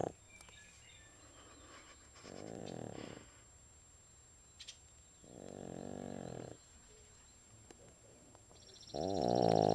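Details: Sleeping pug Elsey snores in deep, buzzy, rasping breaths about three seconds apart. The last of the three is the loudest and runs to the end, with a brief higher rattle just before it.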